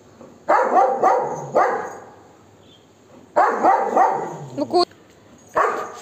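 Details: Golden Retriever chasing monkeys away, barking aggressively at them. Rough, forceful barks come in clusters of two or three, about seven in all, separated by short pauses. A faint clatter is also heard.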